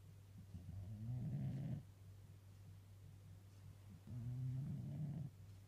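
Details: Domestic cat sleeping on a lap, soft low rasping snores, two breaths roughly three seconds apart, over a steady low hum.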